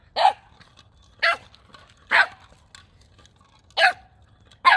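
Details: Male Boxer puppy Gizmo, nine weeks old, barks at a new toy ball on December 9th, 2021. Five loud, sharp barks come roughly once a second against a quiet room.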